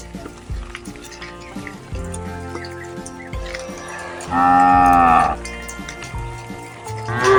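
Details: Crowd of cows heading to their pen in a rural village: shuffling and scattered knocks, then one loud sustained moo of about a second, with another moo just starting at the end.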